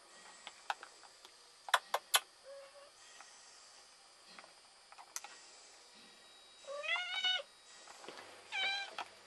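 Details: Kittens in a basket with their mother, a pet cat named Tasha: soft clicks and rustles, then two thin, high harmonic mews near the end, each under a second, rising slightly then falling.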